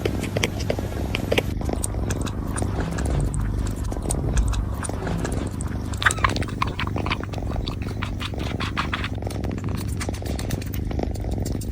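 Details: Several kittens lapping milk, giving continuous rapid smacking and slurping ticks with no pauses over the whole stretch.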